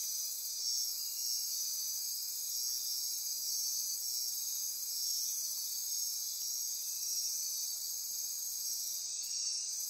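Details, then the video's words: Dense nighttime insect chorus in Costa Rican rainforest near Corcovado National Park on the Osa Peninsula: steady high-pitched shimmering and pulsing trills layered in several bands, continuous throughout with no pauses. "Costa Rica Rainforest - Midnight Insect Chorus"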